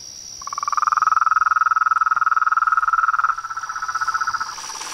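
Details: Nightfall chorus at a small pond in front of a veranda, toads, frogs and tree frogs calling: a rapid, even pulsed trill rises in loudness, runs about three seconds, then continues softer, with a steady high-pitched insect hum behind.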